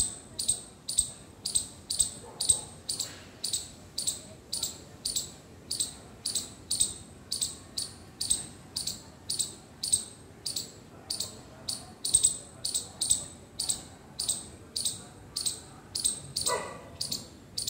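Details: A mother squirrel calling her baby gives sharp, high chirps, repeated about twice a second in a steady run.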